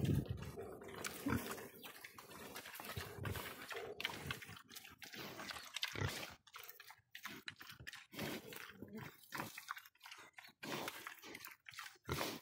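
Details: Domestic pigs give a dense run of harsh, rasping grunts and snorts, irregular and overlapping, which later thin out into separate bursts with brief silences between them.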